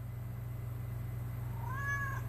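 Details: Domestic cat meowing while its owner talks to it indoors: one short, thin arched meow near the end, over a steady low hum.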